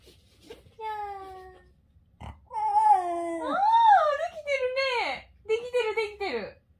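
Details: Shiba Inu named Komugi making a cat-like "nya" sound indoors: high, wavering whines that rise and fall and bend in pitch, in a run of several drawn-out calls, with people talking nearby.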